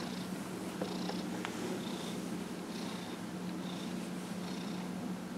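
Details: Dillard the cat, 15-1/2 years old, purrs steadily under a massage recorded January 31, 2018; an unbroken low rumble with a couple of faint taps and soft stroking sounds on top.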